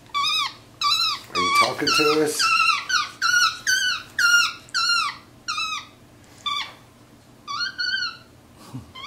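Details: Vocal pet capuchin MonkeyBoo on his leather couch giving a quick stream of squeaky harmonic calls, with a brief burst of louder overlapping squeals early on, then slowing to a few spaced notes.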